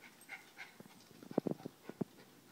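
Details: Pet dog at home during treat time, one of two household dogs, giving a quick cluster of short breathy puffs and snorts mid-clip, each burst brief and low, with quiet room noise between.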